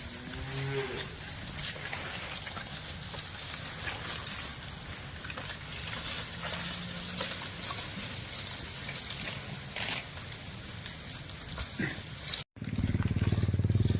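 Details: A herd of village cattle active in a green grass field: low, harmonic moos rise near the start, then a loud, deep, sustained moo follows a brief break near the end, over steady outdoor rumble and rustling.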